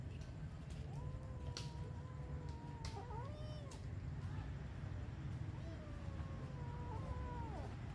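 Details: Cat producing long, drawn-out, yowling cries that hold a steady pitch with slight wobbles before dipping at the end. Two such wails are separated by a pause, over a low steady hum with occasional clicks.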